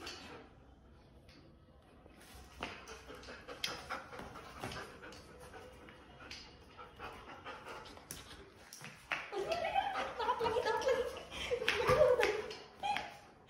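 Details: German Shepherd named Mango during a tug-of-war game with its owner: rough, harmonic growling and whimpering bursts that build and grow louder toward the end, mixed with panting, clatter and human voices.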